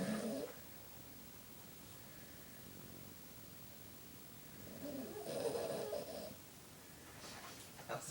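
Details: Boston Terrier dog snoring in deep sleep indoors: two rough, rasping snore breaths, a short one at the start and a longer, noisier one about five seconds in, with a quiet room between them.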